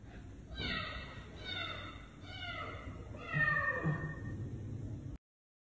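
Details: Domestic cat meowing indoors: about four drawn-out, harmonic meows that slide downward in pitch, spaced roughly a second apart, with faint low background rumble.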